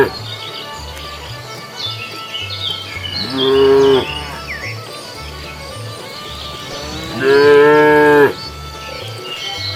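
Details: Cows roaming a road while searching for food; two loud, full moos about four seconds apart, each lasting roughly a second, between quieter distant lowing and a low repetitive beat.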